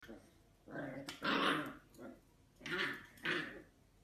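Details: Dachshund in a small indoor room giving four short, harsh, breathy growl-barks spaced irregularly over four seconds, the louder ones strong and noisy, with faint background hiss.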